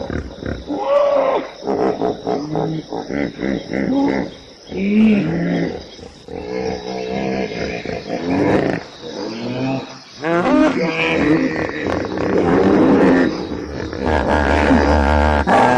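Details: Hippopotamus calling with a dense run of deep harmonic grunts and honks, rising and falling bursts that come in loud waves separated by brief pauses, with a steady high hiss behind.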